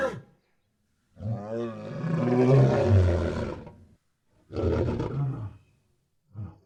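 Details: Lion in its natural habitat giving a long, deep, throaty roar of nearly three seconds, then a second shorter, rough roar and a brief grunt. Low, resonant, harmonic tones.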